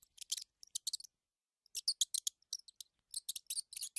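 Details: Quick, piercing high squeaks from a mouse facing a house cat: several short clusters of rapid squeaks, a silent gap of about half a second, then louder, faster squeaking to the end.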